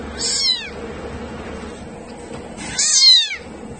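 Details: Kittens mewing: two loud, high, bright meows, each short and falling in pitch, separated by about two seconds of quiet background.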